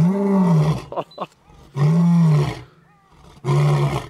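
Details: Lion roaring at Edeni Game Reserve, recorded on a 2011 trip: deep, drawn-out groaning roars with a low bowed tone, three heavy bursts separated by short pauses, with faint brief sounds in the gaps.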